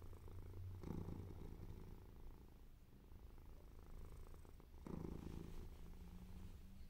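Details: Purring from Mimi, a white and ginger male cat, as a deep, even rumble with breath-timed swells, two louder surges around the first and fifth seconds, quiet indoor background.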